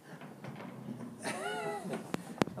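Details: Korat cat named Tiki, kept at home, entertaining house guests; a single short rising-then-falling meow midway, followed by two sharp clicks, with speech around it.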